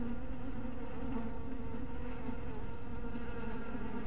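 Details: Steady low drone of many honey bees at a bee house at dusk, a dense buzzing tone with stacked overtones holding evenly for the whole stretch.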